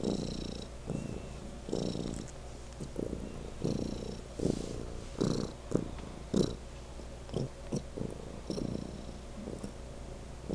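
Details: Pet cat Legend gives an especially loud purr, a deep vibrating drone rising in regular breathy bursts every second or so, some pulses stronger than others, with faint higher clicks.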